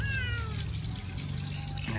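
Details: Domestic village cat meowing during rinsing in a home bath; a short, falling meow at the start, then background music and running water.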